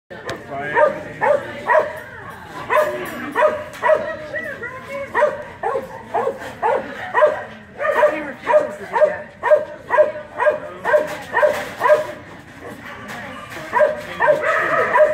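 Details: Keeshond at the 2018 Keeshond Club of America National Specialty agility trial, barking repeatedly in steady sharp yaps about twice a second over a busy indoor background with voices.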